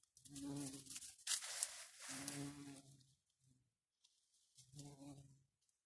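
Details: Garden bumblebees (Bombus hortorum), a long-tongued species, give low, droning buzzes in bursts of about a second, with a brief rustle between.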